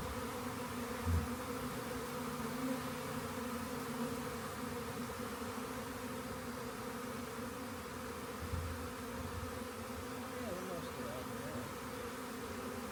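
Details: Steady layered drone from a honey bee swarm during collection, over constant hiss with a few soft thumps.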